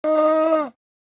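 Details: Llama giving a steady, nasal hum held at an even pitch for about 0.7 seconds with a rich stack of overtones, starting with a sharp click and ending abruptly, with no other sounds.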